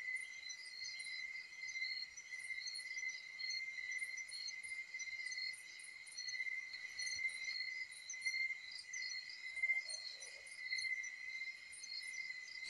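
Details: Crickets give a steady, unbroken high trill in the Philippine countryside, with faint, higher pulsing chirps from other insects above it.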